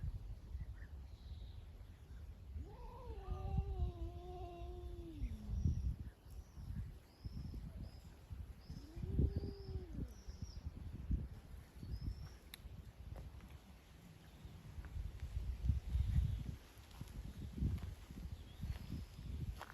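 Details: Stray cat living outside utters a long wavering meow that falls away at the end, then a shorter arched meow a few seconds later, against low outdoor rumble and faint high chirps.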